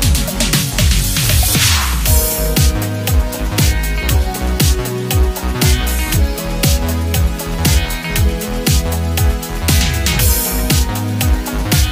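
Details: Loud electronic dance music with a heavy, steady bass beat and layered synthesizer chords, no animal voices heard.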